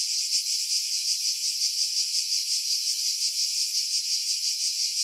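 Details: Cicadas singing in pine trees about 50 m above the sea at Pefkos Bay, Skiros Island, Greece, July 2018, recorded on a Sony RX3 with external mic: a dense, hissing high buzz pulsing nearly three times a second, low wind noise filtered out.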